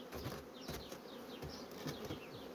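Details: A busy honey bee colony drawing out foundation sheets at speed fills the air with a constant low buzzing drone, broken by soft knocks and crackles from the hive.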